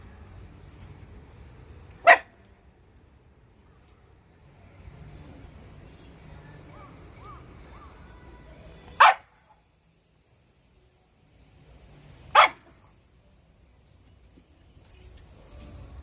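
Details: Shiba Inu giving three single sharp barks, spaced irregularly several seconds apart, with quiet low background rumble between them.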